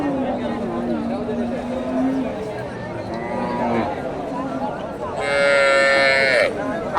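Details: Local cow with her calf shown for sale at the Dakumara cattle market in Bogura, Bangladesh, November 2024: a low drawn-out moo early on, then a loud, higher, strained moo near the end, amid market chatter and a man speaking.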